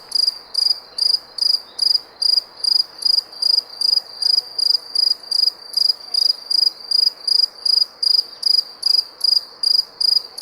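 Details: Cricket chirping steadily, each high, shrill pulse evenly spaced at about two and a half per second, over a faint hiss of background noise.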